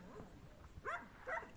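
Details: Rescued dogs at Jutta Shelter, puppies available for adoption playing and running about beside their calm mother Sweetie on 24th August: two short, high, arching yips about half a second apart, with faint background rustle.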